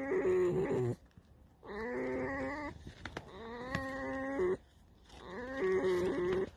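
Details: Alice, a tame fox, giving her evening creak: three long, harmonic, squeaky-door whines of about one second each, wavering in pitch, separated by short pauses with faint rustling.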